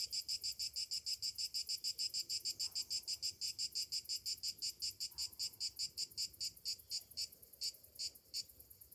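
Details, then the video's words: Summer morning cicada chorus, a high rasping buzz throbbing about three times a second, strong and steady at first, then the pulses grow spaced, uneven and stuttering toward the end, over a quiet low background. "Morning summer cicadas sounds"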